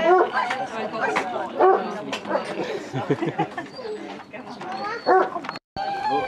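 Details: Loud deep barks and bays from Basset Hounds, 22 dogs on a Scottish walk at Belwade Farm, Dess, Aboyne, 2 October 2016, coming in irregular bursts of several voices at once, with human chatter behind.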